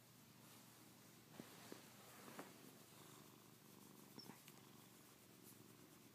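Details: Pet cat purring as it is stroked and asks for more petting; a soft, even low rumble with several small taps and rustles over the top.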